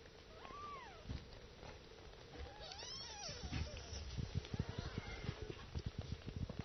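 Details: Several kittens mewing while nursing: thin, high arched mews rising and falling, a few spaced through the first half, with soft clicking and rustling suckling noises underneath.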